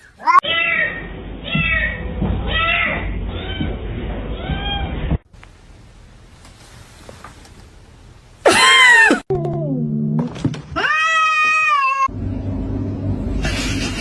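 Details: A pet cat gives a run of short meows, roughly one each second, over background noise, then a loud sharp cry, a low sound, and a longer clear meow near the end.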